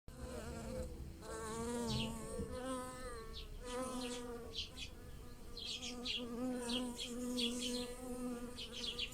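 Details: Bees buzz with a steady, low, wavering hum as they fly among and pollinate blossoming lilacs in a garden, while bird chirps sound high above.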